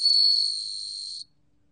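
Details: Bell cricket song: one high, pure, ringing trill held steady for just over a second, then cut off into silence.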